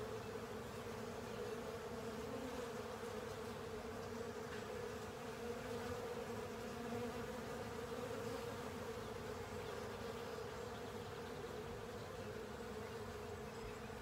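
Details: Honey bees and other insects swarming over a honey filter to clean it up, a steady low buzzing drone of many wings with a strong hum band, continuous throughout, no other sounds.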